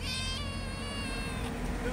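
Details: Pretty kitten found on the street, giving one long, drawn-out meow of over a second with a steady, slightly wavering pitch and rich overtones, over a low background rumble.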